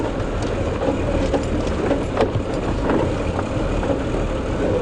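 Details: A steady vehicle engine rumbles with road noise, and no animal calls are heard. The low drone stays even throughout, with only small knocks and rattles from the ride.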